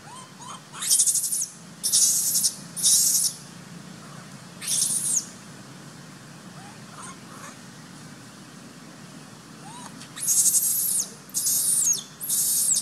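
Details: Abandoned baby monkey Sovana, living in a troop, screaming to be taken back as Papa Lin hides from her: loud harsh high-pitched bursts, three early, one at five seconds, three more near the end, with faint rising squeaks between.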